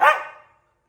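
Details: Pomeranian puppy giving a single sharp, high bark that fades quickly in an otherwise quiet room.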